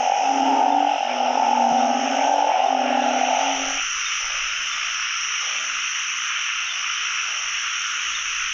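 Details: Narrow-mouthed frogs calling all over a pond on the year's first frog-catching outing: a dense, steady, buzzing chorus from many frogs, with lower tonal sounds and handling noise over the first four seconds.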